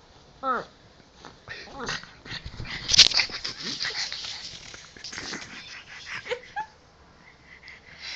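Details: Jax, a pet Pug, being silly in bed while playing with his ball indoors: short high whimpering whines and snuffly breaths, with rustling of bedding and brief human voices.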